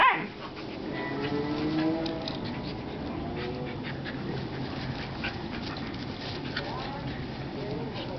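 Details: A 10-week-old male Alaskan Malamute puppy, playing in a backyard, gives drawn-out, wavering whines and woo-like yowls while a person calls names.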